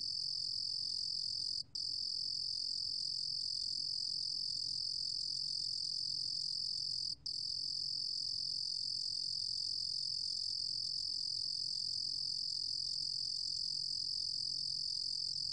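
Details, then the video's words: Continuous high-pitched trilling of a Ruru-gom cricket (루루곰귀뚜라미), a 2020 recording from the National Institute of Biological Resources, Korea, with two very brief breaks in an otherwise unbroken shrill buzz. "루루곰귀뚜라미, 여러번 듣기, 곤충소리"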